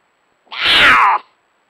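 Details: Mating scream of an estrous female cougar at night in Nebraska, 4.5.22, 9:18 pm: one rough, strained shriek lasting under a second, sliding slightly downward, against a silent background.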